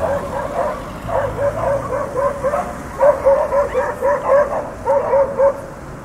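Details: Dogs bark in a long volley: softer, blurred barks first, then a louder, clipped string of barks in pairs and short runs, over a low constant rumble.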